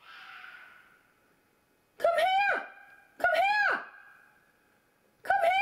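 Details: In mating season a fox gives three piercing, tonal screams, each a strained wail that rises then drops sharply, with a softer hissing breath before the first.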